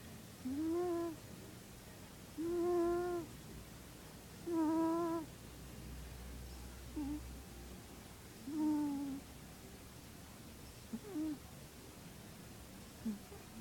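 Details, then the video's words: Minos the cat snoring while asleep indoors: whistled, nasal tones with bright overtones, each about half a second long and rising slightly, repeated roughly every two seconds in a quiet room with low background hum. "sleep time with the cat Minos and him snore"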